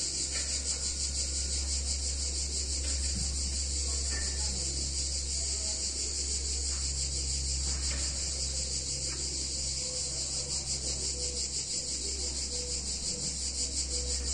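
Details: Warm summer day in an Italian town with cicadas: unbroken high buzzing chorus, finely pulsed, over a strong low steady hum and scattered faint chirps.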